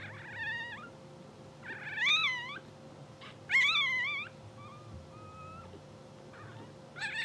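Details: Two-hour-old English Bulldog puppies of a blue sable litter, asleep and dreaming, make loud arching squeals and one faint flat whine in quick succession, with a steady mechanical hum underneath.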